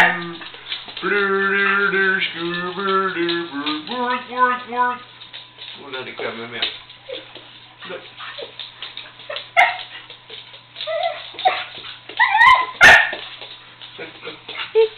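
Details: Pet dog singing along in loud, wavering howls with stacked harmonic tones over the first five seconds, then mixed barks and yips; a person talks and laughs in the second half.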